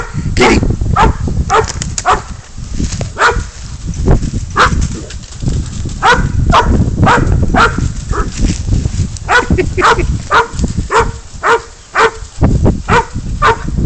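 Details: Spud the dog bays up a goat before its catch and release, giving hoarse barks at nearly two per second with irregular gaps, while a man's voice urges him on over heavy low-pitched rumble.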